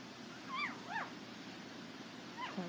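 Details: Young Border Collie puppies of the Nell x Skeet litter, International Peace Gardens, August 12 2018, letting out two quick thin whimpers that arch up and down, then a fainter third after a pause, against low background noise.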